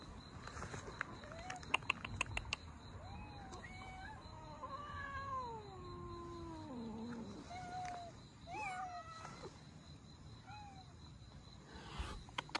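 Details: Abandoned Russian Blue cats, a mother with her kittens, recorded while being rescued; drawn-out meows, one long wavering cry that slides steadily downward, then shorter rising-falling mews, with clicks and rustling in the background.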